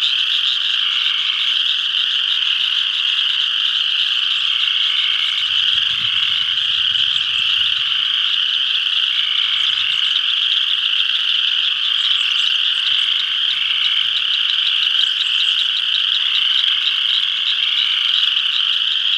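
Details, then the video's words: A full spring chorus of spring peepers from a pond in northeast Kansas: continuous shrill high peeping from many frogs, repeated lower trilled notes recurring throughout, faint low rumble midway. "Spring Peepers"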